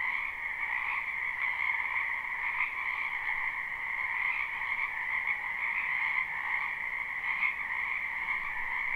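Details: Many frogs calling in a spring wetland at night-time sleep ambience, live and unlooped: a dense, steady chorus of trilling croaks in two bright bands, with slight pulsing swells every second or so and no other clear sounds.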